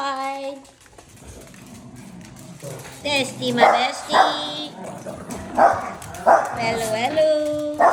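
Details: Demanding dogs from a household of 17 dogs give repeated high, whiny yips and short barks with rich, wavering tones, some rising at the end, coming in bursts about every second, while a person talks over them.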